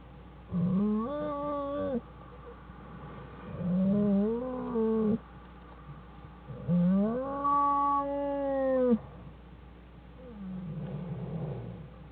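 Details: Black bear cubs Fern and Herbie with their mother Jewel inside the den, January 1, 2013: three loud, drawn-out harmonic wailing cries, each one to two seconds long and bending slightly in pitch, separated by quiet pauses, with a fainter fourth cry fading out at the end.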